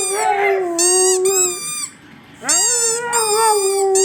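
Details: Siberian Huskies kept as pets, howling in response to a squeaky toy: two long, smooth, level howls separated by a quiet pause of about a second, the second one opening with a rising swoop.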